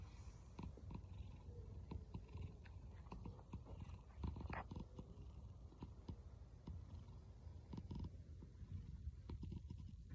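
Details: Pet cat with a snore-like purr: a continuous deep rumbling drone over ten seconds, overlaid with frequent dry clicking and rustling noises.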